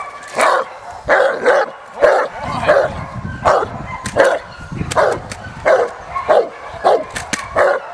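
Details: Presa Canario named Hank the Tank in protection work training on the De la Arena field in Germany: deep, forceful barks repeated roughly every half to one second in an irregular run, with faint human voices in the background.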